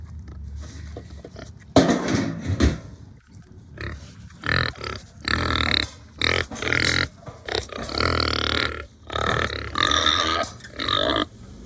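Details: Hungry farm pigs on a new farm give loud, harsh squeals and squealing grunts in bursts of one to two seconds, separated by short quiet gaps, with low rumbling grunts underneath.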